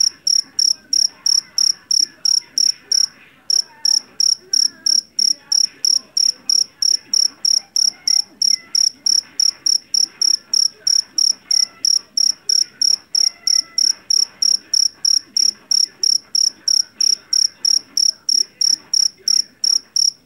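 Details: Jangkrik jeliteng, a Javanese field cricket caught in a rice field, known for its loud, shrill voice, used to repel rats at home; loud pulsed chirps repeat about three times per second in a steady train, with a faint low background murmur.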